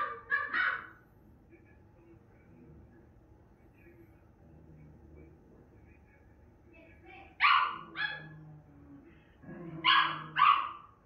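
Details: A female Miniature Schnauzer gives sharp, high barks in short bursts with quiet pauses between while watching herself on TV.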